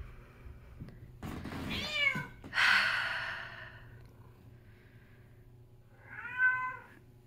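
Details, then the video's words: Needy female house cat in Minnesota screaming for attention indoors during cold weather after her owner was away; two drawn-out, wavering meows close together, then a pause and a third meow. "Kitty Mint screams for attention, is quiet during pets, then screams more"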